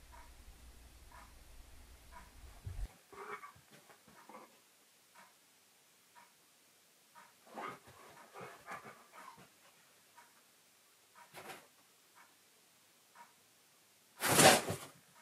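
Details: Keyush, a pet dog, indoors, confused while searching for his owner's recorded voice playing from a giant teddy bear in another room; short high whimpers in scattered clusters, soft panting between, and a sudden loud burst near the end.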